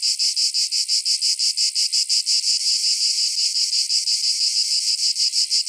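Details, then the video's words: Cicadas (chicharra, campanero) singing in summer at night: a steady high buzzing pulsed about three times per second in a regular train, with no other sounds; lower frequencies appear filtered out. "CICADA SOUNDS - Sound Effect of Cicadas in Summer at Night - Sounds of Cicada (Chicharra, Campanero)"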